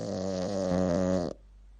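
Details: Shih Tzu (Canis lupus familiaris), snoring.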